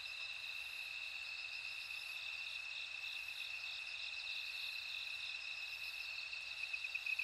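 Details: Bell cricket chorus, faint and continuous: steady high ringing bands with a soft shimmer of overlapping trills, heard over a quiet background hiss.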